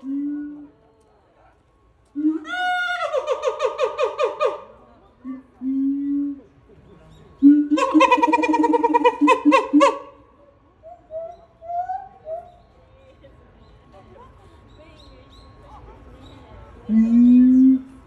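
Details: Siamang, an adult male kept at a zoo in Japan, singing alone after his mate's death: loud rapid pulsed hoots in two bursts near 3 and 8 seconds, plus lower booming hoots and a rising tonal call.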